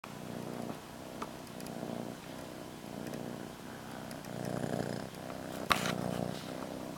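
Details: Molly, a pet cat, purring with her blanket; a steady low rumbling purr pulsing in long even strokes, with a brief sharp click near the end.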